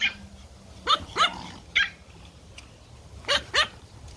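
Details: Playful Pomeranian puppies in a garden yap sharply: five high, clipped barks come as a quick pair, a single, then another quick pair, over a faint background hum.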